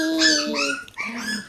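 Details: Shiba Inu puppies in a puppy room, growing livelier: a drawn-out whine gliding downward, followed by a second rising then falling whimper, with a person calling softly nearby.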